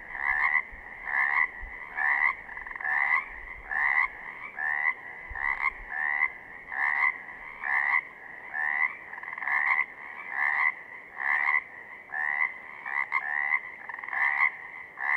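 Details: Pacific chorus frogs calling in southern Oregon: two-part ribbiting notes, each a short rasping rising croak, repeated steadily about once per second in a continuous chorus with overlapping voices and no other clear sounds.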